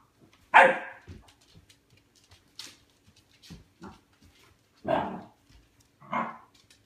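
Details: Pet dog barking at his food bowl wanting food, indoors: a few loud single barks separated by quiet gaps, with faint whimpering sounds between them.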